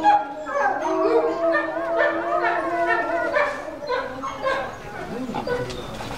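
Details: A zoo-kept Chinese wolf pup, a male roughly one and a half months old, gives a sustained steady howl with clear overtones, overlapped by his mother's excited, wavering cries and yips near the end.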